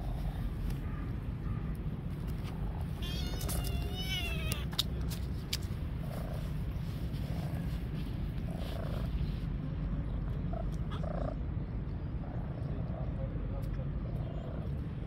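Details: Stray street cats sitting on a park bench, waiting to be brought food; a burst of wavering, rising-and-falling meows in quick succession, then several softer, fainter mews, over steady low rumbling outdoor noise.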